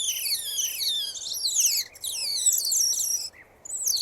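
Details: Real otter sounds in an 8D recording: dense runs of thin, high, whistled squeaks sliding up and down, overlapping in quick chattering streaks, with two brief silent gaps.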